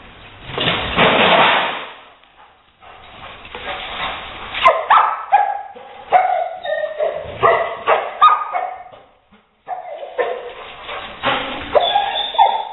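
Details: Leo, a Rottweiler, confronts a gray squirrel intruder indoors before evicting it through an open window; a loud rushing burst opens, then high, wavering whines and short yips come in uneven clusters.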